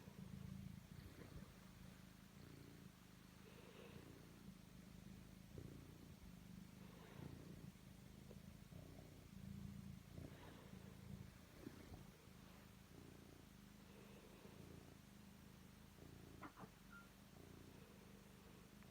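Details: Domestic cat Totto purrs while kneading; long steady low rumble in rhythmic breaths, with scattered soft rustles and taps throughout.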